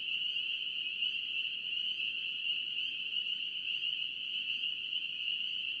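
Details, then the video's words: Spring peeper chorus in North Carolina, steady high-pitched shrilling from many frogs blended into one continuous tone, slight flickers of individual peeps, calm and unchanging. "NC Peeper frogs"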